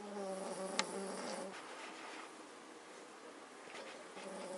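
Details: Magyar Vizsla family sleeping: a single humming, slightly whistling snore in the first second and a half, followed by soft breathing and a faint click.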